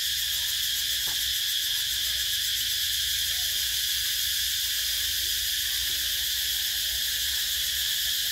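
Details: Steady high-pitched droning of cicadas in summer, a continuous shimmering buzz with no gaps, one faint click near the start.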